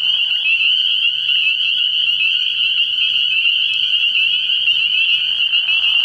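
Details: Night chorus from an early-year frog pond, spring peepers producing an unbroken high, ringing trill of overlapping peeps, steady in loudness, with a soft lower murmur of calling underneath toward the end.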